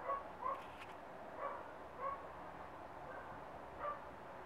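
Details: Glamour Auksine Zvaigzde, a Rough Collie puppy aged 1.5 months, utters brief whining yips, some with a quick upward bend, spaced roughly a second apart over a steady hum.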